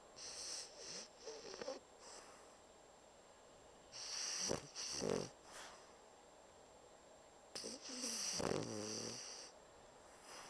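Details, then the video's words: Pocket Bulldog named Bumble, fast asleep and snoring loudly like a big dog; raspy, wheezing snore bursts with nasal whistling overtones, irregular breaths separated by quiet pauses. "Pocket Bulldog Schnarchnase"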